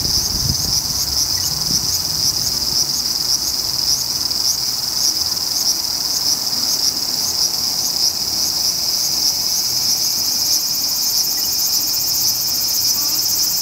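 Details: ['Large brown cicada producing an unbroken, sizzling high-pitched buzz with a faint pulsing texture, steady in loudness across the whole recording, with no other clear sounds.']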